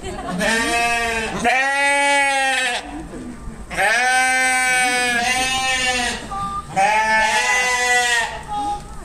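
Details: Sheep giving three long bleats in succession, each about a second or more, harmonic and slightly wavering, with short pauses between them.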